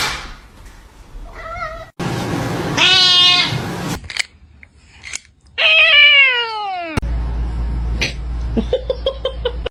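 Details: Kittens meowing: several short, tonal meows, then a long, loud meow that bends downward. Bursts of noisy rustling come between the calls, and softer clipped meows are heard near the end.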